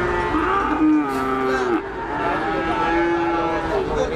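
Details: Cattle at a livestock market with a Limousin among them, lowing in overlapping sustained moos, one sliding downward then levelling off, others steady and nasal, with a busy background murmur.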